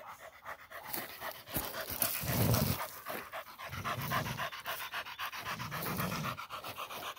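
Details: Female Pit Bull catching a peccary, panting in rapid, breathy pulses about four per second, with deeper rough bursts of sound rising between them every couple of seconds.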